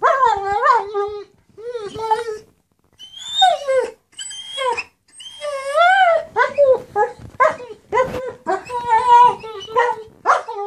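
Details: German Shepherd begging for his toy, an almost continuous string of wavering, yodel-like whines and squeaky whimpers, rising and falling in pitch, with brief gaps between bursts.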